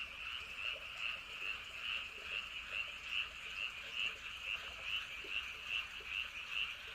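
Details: Andong, South Korea, at night near Wolyeonggyo Bridge and Hahoe Village: a loud frog chorus with crisp, ringing croaks pulsing regularly, about two and a half per second, standing out above a quiet low hum.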